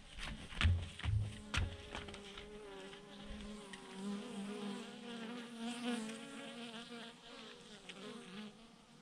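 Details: Massed honey bees, thousands hanging together in a clump on a branch, fill the air with a soft, wavering chorus of buzzing, preceded by a few sharp knocks and thuds early on.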